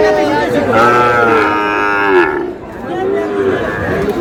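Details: Sahiwal bull calf at a cattle market, bought by a farmer from Cox's Bazar on 14 August: a long harmonic moo of about a second and a half that slides down in pitch at its end, over murmuring crowd chatter.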